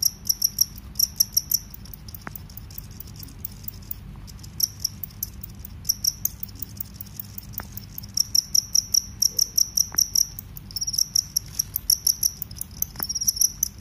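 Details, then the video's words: Cricket, field cricket or forest cricket, repeated bursts of high ringing chirps with brief gaps, a few sharp clicks scattered through, building to longer pulsed trills near the end. "suara serangga jangkrik sawah vs jangkrik hutan"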